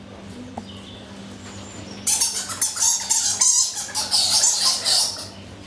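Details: Egyptian fruit bats in daylight at Paradise Wildlife Park, Broxbourne, Hertfordshire, in February 2012, boxing with each other and noisy, break into a dense burst of harsh, high-pitched squeaks and chatter.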